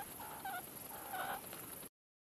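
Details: A meerkat on a rock gives short, thin squeaky calls, each dipping slightly in pitch, over a steady background hiss.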